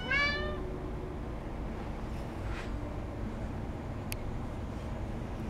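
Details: Cat at a cat café in Sendai, Japan, begging for food alongside a senior cat and kitten: one short, bright meow at the start that rises and falls, followed by quiet room noise and faint clicks.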